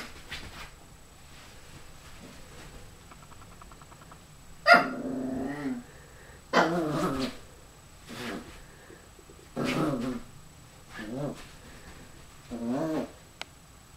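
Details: Dougal, a puppy, growling at his own reflection in a mirror, wanting to play; a few short harmonic growl-barks in bursts separated by quiet pauses, indoors in a small room.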